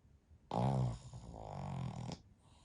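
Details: Sound-asleep Pekingese x Shih Tzu mix napping alongside its dog family; a single snore opens with a loud, buzzing, vibrating inhale and trails off into a softer, breathy rasp over under two seconds.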